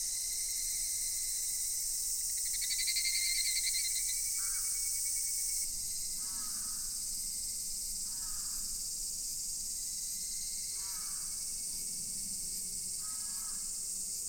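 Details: Mass cicada chorus recorded at Daichuji temple in Ōhira town, a steady high hiss-like buzz throughout; a brief louder pulsing burst early on, then short repeated lower chirps roughly every two seconds over the drone.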